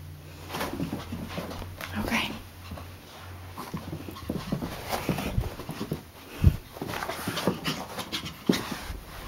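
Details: Hyper Chihuahua Brutus, full of energy at night after play-chasing; steady quick huffing breaths with scattered thumps and low rumbling indoors, and a person speaking intermittently.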